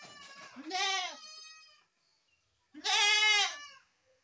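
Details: Goat bleating twice: two loud, wavering, harmonic-rich bleats about two seconds apart, each lasting close to a second, with quiet gap between and faint softer noises at the start.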